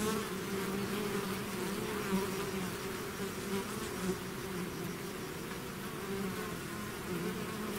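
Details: Bees swarming out of their hive make a continuous layered hum, a deep droning base with a higher whining band over it and small swells as individual insects fly past.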